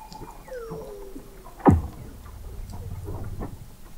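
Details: Weddell seals under the sea ice of McMurdo Sound, Antarctica, recorded in November 2017 at the McMurdo Oceanographic Observatory, 21 m below the ice: gliding descending whistles, then one sharp loud downsweeping chirp, with low rumbling in the background.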